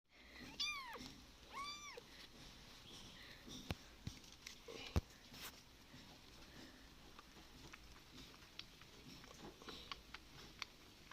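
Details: Abandoned kitten left on the road, giving two high, arching meows in quick succession near the start, followed by scattered clicks and faint rustling.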